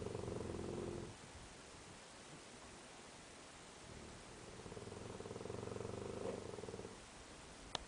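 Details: Sleeping Tosa named Kiyu giving hearty snores, which began only as an adult, among a dozing mastiff and bull terrier; a resonant snore, a quiet pause, then another long buzzing rattled breath, ending with a sharp click.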